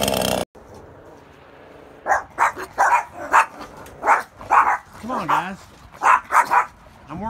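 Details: Yorkshire Terriers object to a chainsaw in sharp, high, rapid bursts of barks and growls while trees and storm debris are cleared behind the house; they are described as a bit overprotective.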